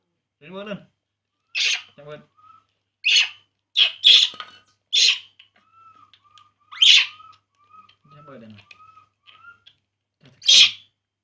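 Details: A baby monkey cries while drinking milk, giving sharp high squeals roughly every second or two. A faint steady whistling tone and short bits of Vietnamese speech are heard in the gaps.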